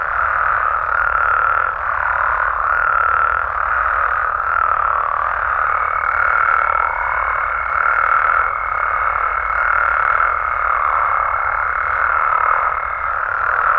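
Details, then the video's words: Wild Mexican frogs and toads at night: a dense chorus of rhythmic croaks pulsing about every second, with a distinct lower call dipping now and then and a thin sustained tone across the middle. "Mexican Frogs & Toads Sounds"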